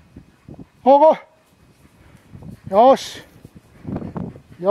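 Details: Welsh Terriers Grandy and Ikaros hunting deer in Izu in October 2012, chasing a large flushed deer. Three high, yelping, harmonic barks come about two seconds apart over rustling undergrowth and faint outdoor noise.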